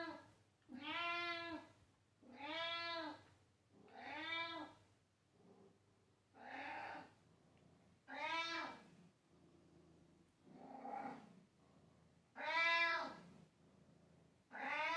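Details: House cat indoors meowing loudly and repeatedly: a series of about nine harmonic meows, some strong and some softer and shorter, arriving roughly every one to two seconds in an insistent rhythm.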